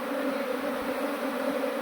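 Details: During the transfer of an escaped honeybee swarm into a modern hive, the bees give a brief, unbroken hum, thick and steady with a strong low tone.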